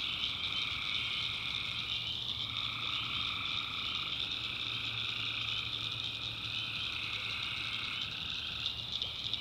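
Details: Nighttime tree frog chorus from the backwoods of North Carolina: dense overlapping high trills hold steady while a lower buzzing layer rises and breaks off in waves, a faint low hum underneath.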